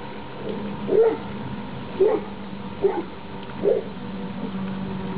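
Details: Labrador Retriever puppies from one litter playing outdoors together on 28 October 2011, the last day before they leave. Four brief yipping barks arrive roughly a second apart, with a faint low hum underneath.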